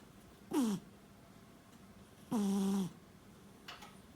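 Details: Domestic cat asleep, snoring through possibly small nostrils: two breathy snores, the second longer and droning with a low buzzing tone, followed by a faint short exhale.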